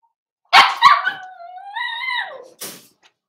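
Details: Cavalier King Charles Spaniel puppies being socialized with the kennel's adult dogs in an indoor puppy pen on 12/13/22: two quick sharp barks, then a long drawn-out whine that holds steady, rises slightly and falls away, followed by one short final yelp.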